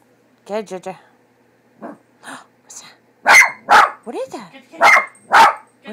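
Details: Pet dog Leo, afraid of the cat picture on a cat food bag, gives sharp loud barks in an irregular series after a person's questioning voice opens the recording.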